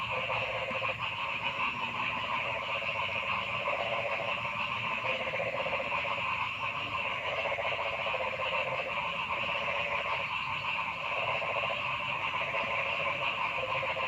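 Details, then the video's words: A dense frog chorus in forest, with layered buzzing and trilling bands sounding nonstop and a mid-pitched pulsing rattle that swells and fades every couple of seconds. "Noisy Frog Sound in the Forest"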